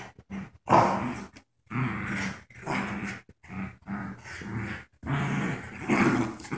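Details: Two dogs, Joy, a paralyzed puppy wearing a diaper, and her friend Wicket, growl during a game of tug of war; choppy growls in uneven bursts, some sharper and louder, separated by brief silences.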